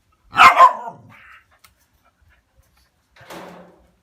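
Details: Dog reacting to the sight of a cat with a loud double bark that trails into a low grumble, followed after a pause by a softer, shorter bark, indoors.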